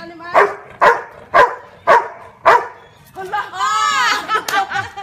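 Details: Labrador Retriever Marley barks the number of fingers held up: five punchy barks at a steady half-second rhythm, then a burst of excited talking and laughter with a high sing-song voice.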